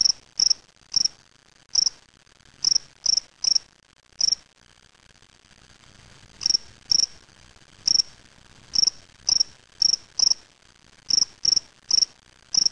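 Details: Spring field cricket, Gryllus veletis, kept in a small cage after collection in Waterloo, Ontario, Canada on May 25, 2007; sharp high-pitched chirps come in irregular bunches of two to four throughout, with brief pauses between groups.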